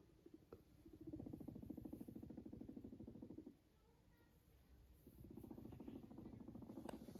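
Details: Guinea pig kept as a pet, yawning and purring: a softer low pulsed rattle in two bursts separated by a quiet pause of about one and a half seconds.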